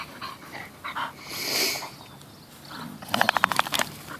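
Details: Bull Terrier rescues Peyton, a nine-month-old puppy, and Quigley, about eleven, romping together indoors; after quieter rustling, a burst of rapid snorty grunts repeats several times per second for under a second.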